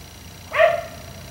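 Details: Single drawn-out harmonic bark from a black Labrador retriever left outside until 1am, rising quickly then trailing off, against low steady background noise.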